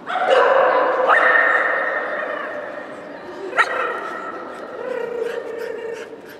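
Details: Shetland Sheepdog giving long, drawn-out, tonal whining howls, held at a steady pitch with abrupt upward jumps, fading toward the end, with a sharp click midway.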